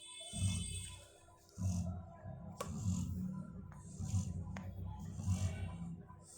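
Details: Perry, a female Labrador Retriever, sleeping and snoring: deep, rumbling breaths in low pulses about every second and a half, each followed by a soft airy hiss, with a faint tonal sound early on and a couple of light knocks.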